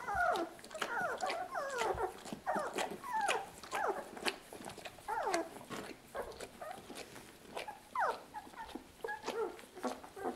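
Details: Nursing puppies, two weeks old, crowd around their mother Lucy and whimper almost continuously: sharp descending squeals and whiny cries in rapid succession over ten seconds, with rustling bodies and suckling sounds in a small room.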